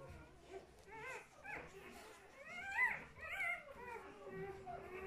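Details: Two-day-old puppies indoors: high, squeaky whimpers and short squeals rising and falling, repeated throughout, with soft human speech in the background.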